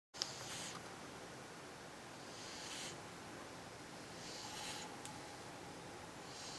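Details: A cat snoring in its sleep: soft, hissy breaths, each lasting about half a second and recurring roughly every two seconds, over a steady low background hum.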